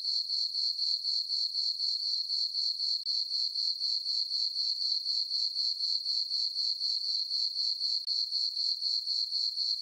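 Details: Crickets chirping on a peaceful summer night in a farm meadow under a full moon: a steady high-pitched trill pulsing about four times a second, even and unbroken, with no other sounds.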